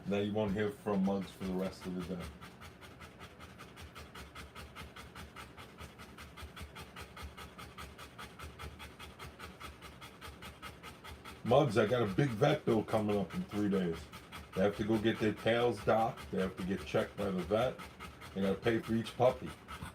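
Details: Rottweiler giving birth to puppies, panting in fast, steady breaths, about four a second. Human voices talk over the panting at the start and again in the last third.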